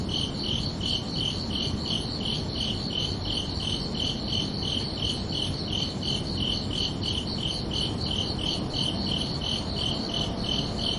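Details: Night chorus of crickets on a summer evening, about thirty even chirps in steady succession, each a bright high pulse with a second higher band above, set against continuous low rumbling hiss.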